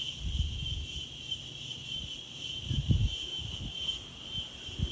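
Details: Insects on a windy day outdoors: a steady, high, unbroken buzzing drone holds without pause throughout, over low gusty wind rumble that swells and fades.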